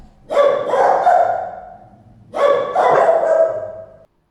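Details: Dog giving two long, loud, harmonic barks about two seconds apart, each with a rough, drawn-out body.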